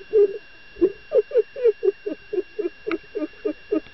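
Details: Dolphin excited by a female diver, uttering a quick regular series of short, low, pulsed grunting notes, about three per second, with fairly even loudness and a faint constant hum underneath.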